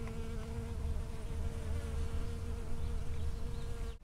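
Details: Bee foraging from flower to flower in a strawberry field on 19 June 2011, recorded from 5 cm or closer: a steady, low, humming buzz holds for about four seconds, then cuts off abruptly at the end.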